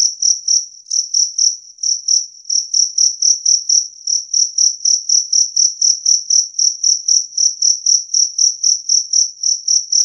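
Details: Two-spotted cricket giving clear, loud chirps, a steady train of short high pulses about four per second, with a brief hitch near the start and no other sounds.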